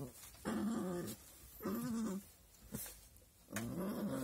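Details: Puppy giving three low, steady, rumbling growls of about half a second each. Brief thumps and a quiet background sit between the calls.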